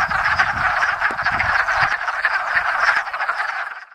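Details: Hundreds of wood frogs gathered at a small woodland pond in Enosburgh in spring to breed, the first frogs to chorus each year; dense overlapping clucking, duck-like croaks fill the air continuously, a steady mass chorus with no other clear sounds.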